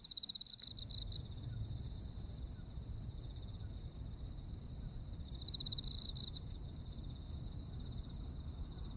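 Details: Insects calling in Japanese autumn: a continuous shrill trill with rapid, evenly spaced high chirps above it; louder pulsed bursts open the recording and return near 5.5 seconds, all over a steady low rumble.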